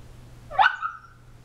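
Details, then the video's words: Sleeping female Shiba Inu puppy, 18 weeks old, dreaming; one sharp squeaky yelp that trails off into a thin falling whine lasting under a second, with a low steady hum underneath. "Shiba inu puppy makes funny noises while sleeping"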